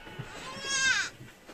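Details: Purebred Anglo-Nubian goat, one of two that gave birth, giving a single short, high, nasal bleat lasting under half a second, bright and slightly falling at the end, over a quiet background.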